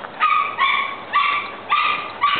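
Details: Dogs at play, big and little, letting out five bright, tonal yipping barks in a steady rhythm roughly every half second, each holding a clear pitch with rich overtones.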